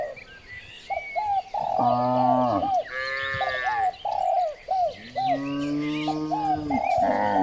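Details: Morning herding of cows through village streets: two long, deep, droning moos and a higher bellow between them, set against a steady run of short, repeated, cooing notes.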